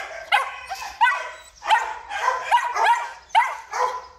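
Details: Belgian Malinois male at a breeding farm giving sharp, ringing barks with a whiny rising start, about seven in four seconds, irregularly spaced, clean background.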